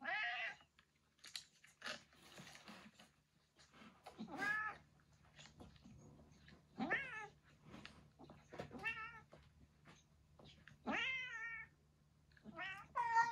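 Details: Cat cries around Yongo (Kuro), a retired boss cat recovering in end-of-life care. Separate bent, quavering meows and yowls arrive every second or two, some harsh and screechy, with rustling and a low background hum between them.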